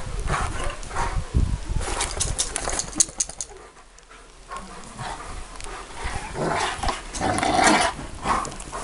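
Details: Bucovina Shepherd Dog barking in short loud bursts, with a quieter gap mid-way and further rough barks toward the end, some broadband background noise.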